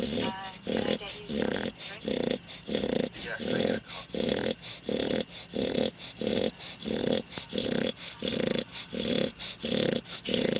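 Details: A dog snoring very loudly: steady rasping, low-pitched breaths in even bursts of about half a second, repeating roughly every 0.7 seconds with short quiet gaps, and a faint hiss throughout.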